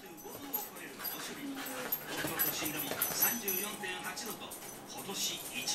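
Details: Corgi. A corgi makes a busy run of short whimpers, yips and rough growly sounds during play-fighting with another dog. Human voices talk over much of it.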